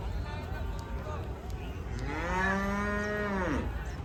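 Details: Hallikar cattle at the Friday cattle market in Channarayapatna, Hassan district, Karnataka; a long harmonic moo rises and holds steady before falling away, with a fainter earlier moo and low market noise behind.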